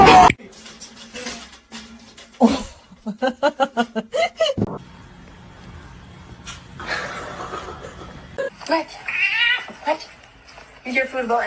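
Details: Domestic kitten crying and meowing, from a compilation of funny cats; several short, bent, whining meows, with people talking loudly over them, brief music and household noises.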